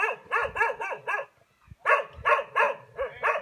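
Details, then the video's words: Frightened domestic dog giving high-pitched barks that tell people or another dog to stay away: rapid, sharp, yelping barks in quick bursts of four or five, a brief pause, then another burst. "he's barking to let you or another dog know he's frightened and to stay away"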